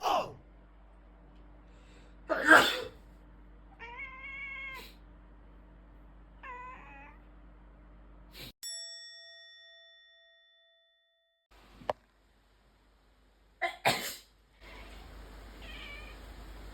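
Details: Rescued house cat answering a person's sneezes with short, complaining meows: two sneezes, then a wavering multi-note meow and a second shorter one, followed by a chime-like electronic tone and more sneezing.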